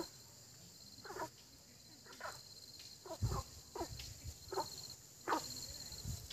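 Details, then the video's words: Croaking frogs at the start of spring, short snappy calls coming unevenly about once a second, mixed with a few low thuds and a steady high insect drone. "Tiếng ếch ộp đầu xuân"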